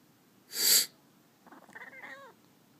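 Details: Kitten named George reacting to a person's sniffing during a cold: a sharp hissy sniff, then a short pause and a quavering, complaining little meow with a wavering pitch, indoors.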